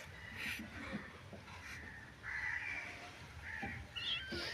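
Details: A kitten that wandered into a family home, crying for its mother before the household helped it: thin, high meows, about five short calls in under five seconds, each slightly wavering, over faint room noise.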